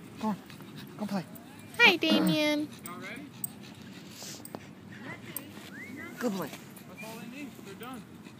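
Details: Playing at a dog park, a dog lets out a burst of short yelps and rising whimpers, one loud harsh outburst near the start, then scattered whiny squeals, mixed with human chatter and background bustle.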